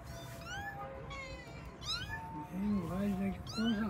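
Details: Pet kittens calling as they find their mother: repeated high, upward-sweeping meows roughly every second, mixed with human voices and a low tonal background sound.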